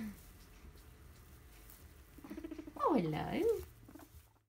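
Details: Guinea pigs on the floor with a heap of hay, making explorative bubbling and popping chatter; quiet low burbling gives way to a loud sweeping squeak that dips and rises before fading to silence.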